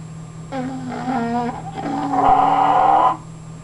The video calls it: English Bulldog Snoring